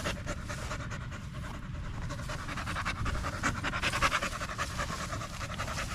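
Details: Staffordshire Bull Terrier, male, among other male dogs at the park in the evening, panting hard and continuously, quick airy breaths that grow louder near the middle, over faint low background noise.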